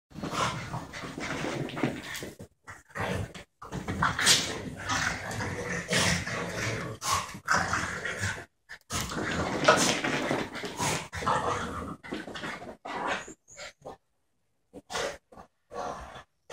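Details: A 12-month-old female border terrier and a French bulldog of about four playing together indoors, the terrier baring her teeth to look fierce; rough growls, snorts and scuffling in dense bursts with brief silent gaps.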